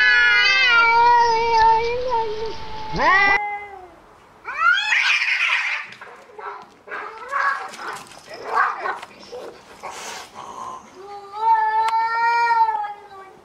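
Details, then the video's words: Stray street cats fighting: long, wavering, strongly harmonic yowls drawn out for several seconds, then abrupt harsh hisses and spits, followed by another sustained mournful yowl rising and falling in pitch. "Real Cat Fight Angry Cats Vs Cats Аngry Compilation Video Ever| cats and Cats Fight|Watch With Sound"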